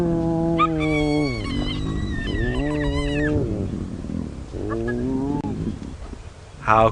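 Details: A clan of spotted hyenas at an active den in Sabi Sand, South Africa, early morning of 20 October 2017, greeting as a mother returns: two strong arching moans that rise and sag, followed by softer fading groans and a brief squeal at the end.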